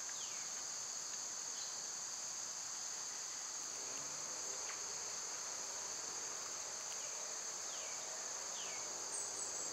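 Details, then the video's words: {'caption': 'Cicadas droning in summer, an even, high, hissing whine sustained for the whole stretch, while brief falling bird whistles appear at the start and again near seven and eight seconds.'} "Cicada sounds"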